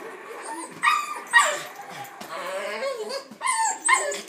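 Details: Boston Terrier indoors in a living room, annoyed by a yellow balloon, letting out sharp, high, yappy barks in two pairs, early and late, with whiny strained tones and a brief human voice between them.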